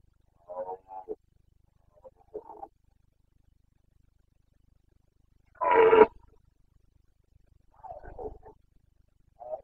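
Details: Carpathian red deer stag in the Bucovina mountains, rutting roar (boncănit) in breeding season, 29 September 2022; short scattered harmonic grunts, then one louder, fuller roar near the middle, with quiet gaps between.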